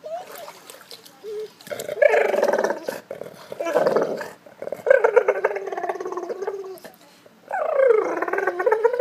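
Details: A Golden Retriever at a pool whines in drawn-out, wavering moans, asking for its ball in the pool.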